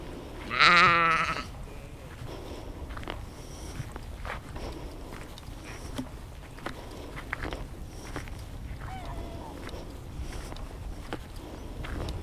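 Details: Outdoor sheep field recording made with a Zoom H2n: one loud, short, quavering bleat at the start, then soft clicks, rustles and scattered faint sounds, with a weak distant call later.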